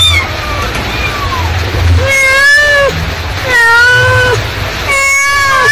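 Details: Mother cat calling her kittens, repeating arched meows about every one and a half seconds, each rising then dipping at the end, after faint opening mews, over low hum.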